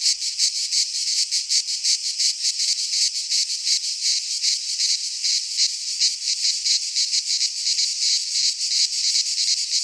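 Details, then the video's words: In the heat of midsummer, cicadas in a pine forest in Greece produce an intense sizzling buzz, rising and falling in quick, somewhat uneven pulses, with no other voices. "Cicadas singing in midsummer - Nature sounds from the Greek fauna - Sounds of cicadas"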